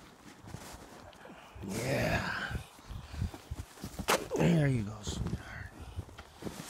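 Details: A donkey brays in loud, rasping bursts, breath drawn in and pushed out in harsh honks, as if singing.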